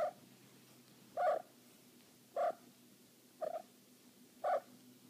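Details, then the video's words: Cornish Rex cat in heat giving five brief, bright chirp-like calls at slightly uneven intervals of about one second, each a short nasal burst, over a quiet room with steady low hum. "Cornish Rex in heat"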